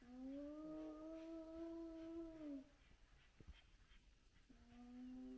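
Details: At sunrise, a large spotted hyena clan gathers at its den with very active cubs. A long, steady, tonal whine lasts over two seconds and sags at its end. A pause follows, then a second level tone begins.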